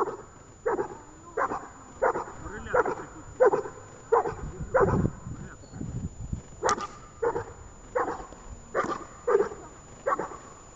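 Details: Barking from Ajax, a dog in training at Horlivka, 31 January 2021. Steady series of short, punchy barks roughly every half second, briefly broken by a low human voice before the barking resumes.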